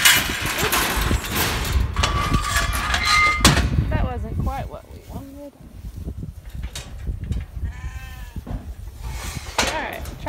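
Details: Sheep being sorted and backed by a working sheepdog; a man's voice and handling noise fill the first seconds, then wavering, rising-and-falling bleats sound around four to five seconds and again near eight seconds.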